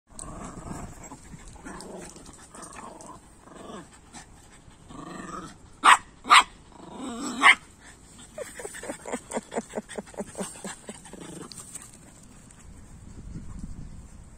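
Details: Border Terrier growling, a low rumbling broken by three loud sharp barks near the middle, then a rapid run of short pulsed growl-barks and softer rumbling toward the end.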